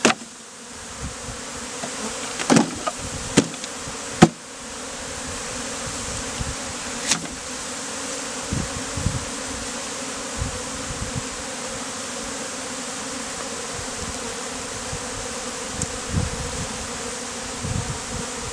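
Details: Honey bees shaken out around a man building a bee beard in hot weather; a loud, steady, even buzzing hum broken by several sharp knocks and taps in the first seconds, then softer thumps later.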